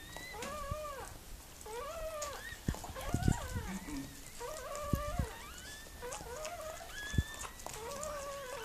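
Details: Mirella, a Miniature Pinscher, whimpers while giving birth to puppies: high, arched whines repeated about every second and a half, each rising then falling, with sharp clicks and knocks in between.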